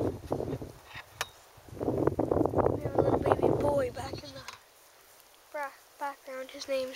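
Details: Baby goats out on pasture, learning to eat grass beside their mothers, give short nasal bleats, each repeated about every half second near the end, after a stretch of a person talking and handling noise.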